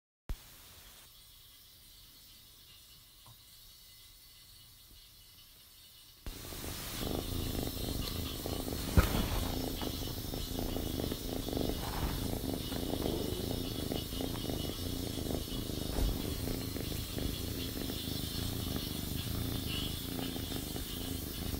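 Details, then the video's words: An orange and white female Persian cat purrs loudly while playing with string, a low, steady rumble that pulses rapidly and continuously after a quiet start. "Orange and White Persian Cat - Plays with String and Purrs"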